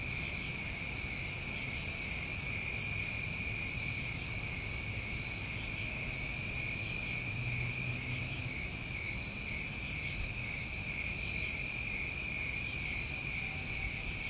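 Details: Night insects of a New England summer: many crickets ringing steadily in several high bands without a break, occasional short hissy bursts overhead, and soft low murmur in the background.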